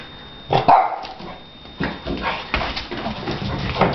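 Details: Shar Pei named Donna playing indoors, giving a few short broadband barks and yips, loudest around half a second in, then softer scattered vocal bursts with a steady thin background tone.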